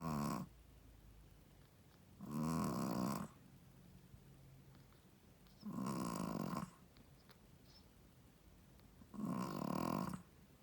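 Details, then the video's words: Sleeping mother Shih Tzu, a first-time mother, snoring: four loud, raspy, rattling snores, each about a second long, repeating roughly every three and a half seconds with quiet breathing between. "How loud does a shih tzu mommy snoring?/ Shih tzu snoring"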